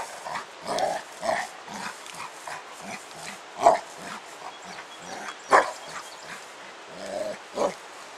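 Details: While playing with his 10 lb weight outside, pet dog Spike gives muffled repeated grunts and huffs, broken by two sharper barks midway.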